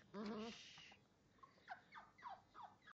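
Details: Great Dane x Bullmastiff cross puppy, five weeks old, whinging to be let inside: a short, strained, wavering whine near the start, then a few faint, brief, falling whimpers spaced about half a second apart.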